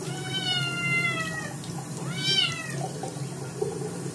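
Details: A Scottish kitten that got its paws dirty gives two loud, drawn-out meows in protest at its second bath.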